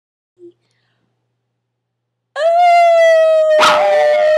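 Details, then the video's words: Maltese dog howling like a wolf: after a brief faint sound and a long silence, a loud, steady, tonal howl starts and holds a level pitch, with a sudden broadband burst partway through. "Maltese Thinks He's A Wolf"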